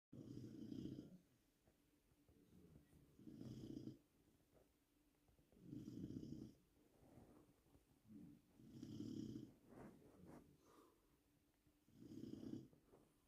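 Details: Bruno, a Labrador Retriever, snoring loudly in Poland, the loudest snorer in his family; five deep rasping snores, each about a second long, come roughly every two and a half to three seconds, with quiet breathing between.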